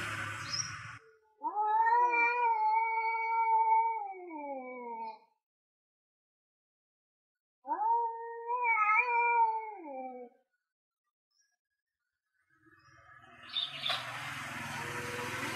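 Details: Two male cats, an orange one and a grey one, yowling before a territorial fight over land: long drawn-out wavering harmonic howls lasting about four and three seconds, separated by silence, with brief noisy rustles at start and end.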